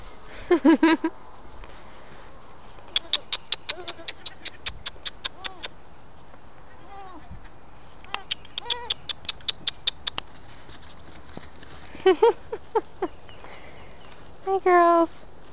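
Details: Six-week-old Saanen/Alpine cross goat kids and a one-week-old Alpine kid bleating; wavering, quavering bleats come in bursts, mixed with rapid clicking and a person calling to them.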